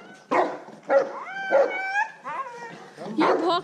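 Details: Siberian Husky or St. Bernard vocalizing, a dog that howls in its own way rather than barking; short moaning yelps then harmonic rising and falling howl-like whines over about four seconds, with a man speaking Hindi nearby.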